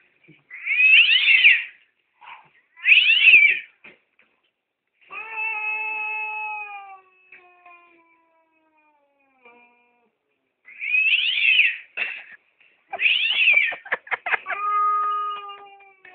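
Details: Domestic cat in attack mode: harsh, wavering yowls at 1 and 3 seconds and again near 11 and 13 seconds, alternating with long drawn-out moaning wails with layered tones, ending in sharp spitting bursts.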